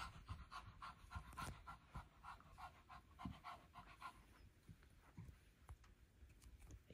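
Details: Older Shih Tzu panting on her morning exercise walk around a carpeted upstairs room on a warm day; fast breathy puffs, about three or four per second, with a few louder thumps and quiet background noise.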